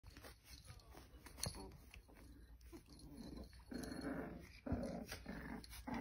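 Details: A white and red parti-colour female American cocker spaniel with her litter, with low, soft grumbling sounds in bursts and quiet rustling indoors.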